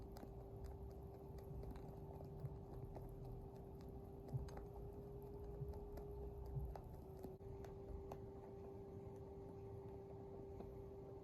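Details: Pet rabbit Twinkle making happy noises while eating pellets: soft, rapid crunching and clicking chews repeating throughout, quiet and close, over a steady low electrical hum in an indoor room.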